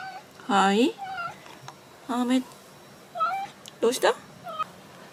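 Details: Indoor American Shorthair cat trying to escape outside after an argument with its owner. It gives a series of rising and falling meows, about five, the first one loudest. A woman's voice talks gently between and over the calls in a small room.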